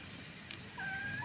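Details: Kitten while nursing lets out one short, clear, level tonal meow that ends with a slight upward flick, heard over a soft hiss of room noise.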